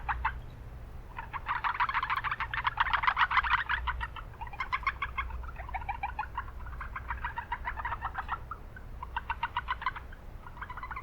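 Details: Several Japanese brown frogs in a city wetland, noisy surroundings; dense, rapid pulsed calls in long overlapping trains, loudest early, then shorter bursts, with continuous low-pitched background rumble.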